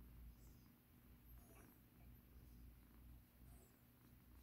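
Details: Rescued kitten named Mikan, once in battered condition, purring softly and steadily while being massaged indoors; a low continuous rumbling drone with faint rustling of hands on fur above it.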